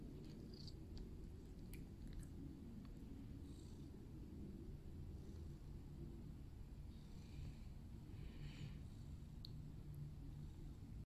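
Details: Domestic cat purring in a steady, continuous low rumble that holds at an even level throughout, with a few faint high clicks and brief rustles in the background.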